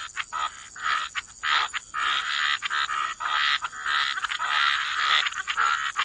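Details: Frogs croak in a wetland by the water, raspy buzzing croaks in uneven clumps, some short and clipped, others drawn out and overlapping, with a faint steady high tone behind them.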